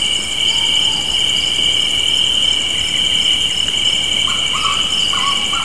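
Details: Spring evening crickets keep up a continuous shrill trill near a porch. Faint short lower-pitched chirps appear near the start and again in a cluster toward the end.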